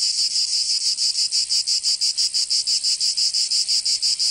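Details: Summer chorus of cicadas in Provence, southern France, a shrill high buzz throbbing in quick regular pulses, roughly three each second, filling the whole stretch without pause.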